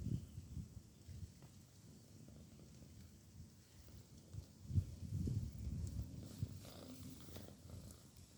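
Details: Female cat asleep after a day of work, snoring in low, soft rhythmic rumbles, about two per second, with a gentle swell in the middle and quiet room background.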